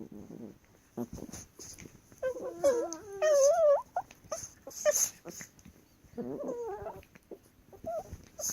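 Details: Chihuahuas at play-wrestling, voicing wavering high whines and squeaky yips in irregular bursts, mixed with snorts, sniffing and scrabbling clicks of movement.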